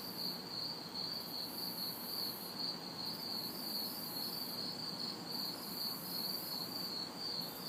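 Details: Night chorus of crickets and cicadas recorded in a city backyard during hot, humid summer weather; rapid high chirps pulse evenly, while a higher cicada buzz swells and fades in long bands, soft traffic hum far behind.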